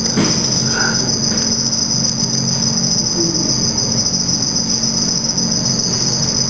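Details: Black field cricket (Teleogryllus oceanicus) during mating and male aggression, seen in red light; a constant, thin high-pitched trill carries through, with a low electrical hum and a couple of faint short squeaks.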